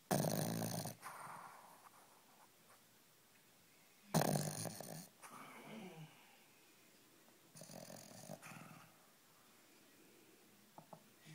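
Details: Male Boston Terrier indoors, deep in an all-day nap after getting worked up over Spring Break 2013; soft breathy snores between louder broadband bursts of noise every few seconds in a small room.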